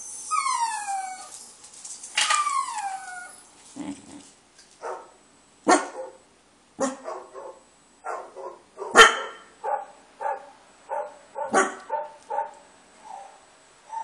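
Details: Pet dog barking in angry reaction to played friendly dog noises; high, falling whine-like sounds from the playback open the clip, followed by a series of short, moderate barks and yips at an uneven pace.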